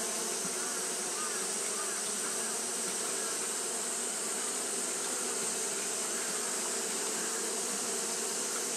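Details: Japanese honey bees fanning continuously on a hot day, a steady, dense, low hum with layered harmonic bands, unbroken throughout, under a constant bright high-pitched hiss.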